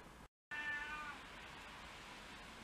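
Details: Domestic cat from a household of six mixed-breed cats, filmed in February 2023 on the first snowy day; after a brief cut, one bright, harmonic meow of under a second, then quiet background hiss.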